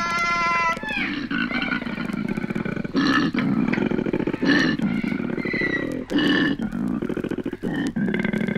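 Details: Courting koalas in Australia, from a 1968 wildlife sound record. A high, whining wail opens the passage. A long run of harsh, pulsed, snoring grunts follows, broken by brief gasping breaks.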